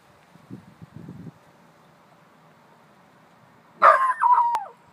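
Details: A Chihuahua mix puppy, which its owner suggests is barking at a ghost, gives two sharp, high yapping barks, the second trailing downward, after soft human speech.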